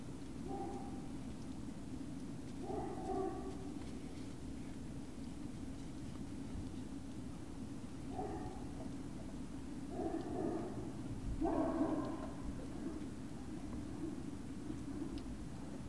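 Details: Great Dane puppies at Puppy Hill, recorded 19 February 2019 around 19:45, giving faint, short whimpering yips in about five separate bursts spread over sixteen seconds, set against a constant low electrical hum.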